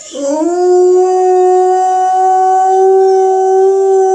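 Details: Alaskan Malamute howling: a long, steady tonal howl that swoops up at the start, then holds a level, sustained pitch with rich harmonics throughout.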